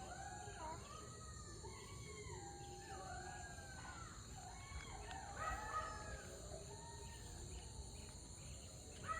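Several foxes howl together in overlapping, wavering wails that rise and fall over a steady insect-like hiss.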